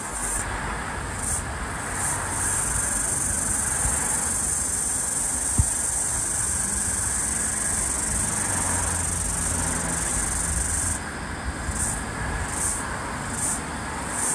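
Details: Floury baker cicada (Aleeta curvicosta) calling while flying, eastern Australia, 11 February 2023: a loud, continuous, high-pitched buzzing hiss held steady, then broken into rapid pulses about every second near the end, over low rumbling background noise.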